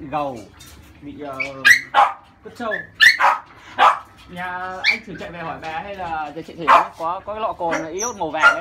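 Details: Thirty-day-old female French Bulldog puppy cries while being bathed to remove crusted skin: a rapid run of wavering, whistly whines and high yelps that rise and fall, with people's voices talking nearby.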